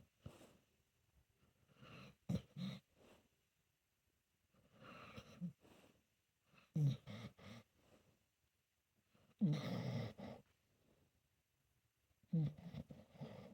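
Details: Deep, throaty snores from Solomon, a sleeping senior pit bull mix who may be dreaming, rise and fall every few seconds, each breath a ragged rumble, louder near the middle and end.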